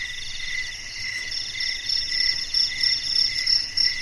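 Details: Crickets in a garden at night call at once in a dense, steady chorus of high, shimmering, quickly pulsing trills, with slight swells as individual callers rise above the rest.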